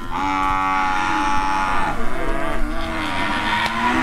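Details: Brahma, Hereford and Brangus cattle during a round-up to sort calves: a long, loud harmonic moo held steady for nearly two seconds, then overlapping lower bellows from several cows with clatter in the background.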